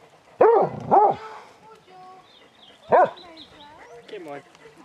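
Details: Basset Hounds, part of a pack of 22 out walking round Belwade Farm near Dess, Aboyne, Scotland, on 2 October 2016: three loud arched barks in a second, with people calling to the dogs.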